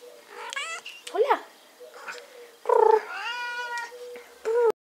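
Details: Rescued cats up for adoption meowing: a bent, wavering meow, then a long loud meow with a falling tail, and a final short meow, with people talking between calls.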